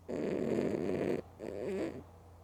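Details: Mookie the female cat, sleeping with her eyes open, gives a rough raspy snore followed by a shorter, softer wavering breath.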